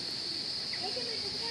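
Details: Cicadas at a rural ranch near a creek, in a season of frequent rain, give a steady, high, shrill buzz that holds without break, with faint human voices underneath. Their sound is heard getting loud at times and then dying down.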